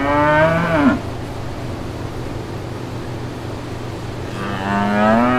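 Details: Brown cows and calves in green countryside fields: the end of one moo with a sharp pitch drop, a few seconds of low background hum, then another moo beginning, low and slowly rising.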